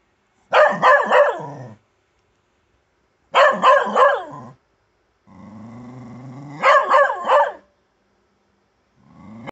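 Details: Bedlington Terrier barking at a grub in the garden: three bursts of rapid, rough, double and triple barks spaced roughly three seconds apart, with a low droning whine between bursts and the start of another at the end.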